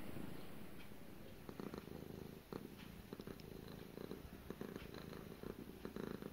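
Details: Gara the cat starts softly, then settles into a close, rumbling purr beating in quick pulses, broken by a brief pause midway before resuming.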